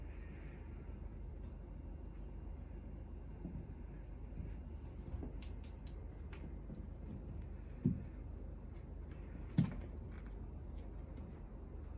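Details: A quiet indoor room with a steady low hum and two brief knocks near the end; no animal voice is heard.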